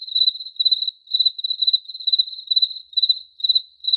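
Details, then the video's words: Cricket producing sharp, trilled chirps at about two per second, eight brief pulsed bursts, clear and close, with nothing else audible. "Cricket Chirping Sound Effect"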